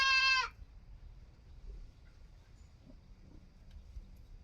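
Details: Young goat kid gives one short, quavering, nasal bleat lasting about half a second, rich in overtones, followed by near-silence with faint low background noise.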